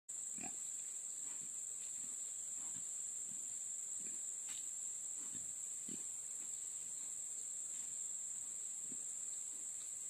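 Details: A domestic pet pig, not actually a wild boar, gives short, rough grunts at irregular intervals over a steady high-pitched hiss.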